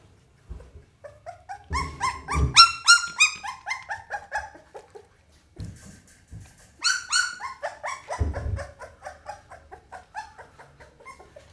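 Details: Pit Bull puppy whimpering and yelping indoors. Clusters of high, quavering cries are separated by pauses, with a few dull thumps and knocks underneath.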